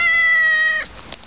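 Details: Domestic cat, one of several filmed in 2012, giving a single steady, level meow of almost one second with a clear harmonic tone that cuts off sharply, followed by faint soft background noises.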